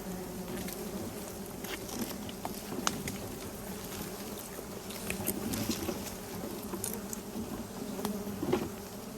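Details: Wild bees near hives discovered during a honey-hunting walk through mangrove and forest, humming in a continuous low drone that swells slightly toward the end, with scattered clicks and rustles from people moving.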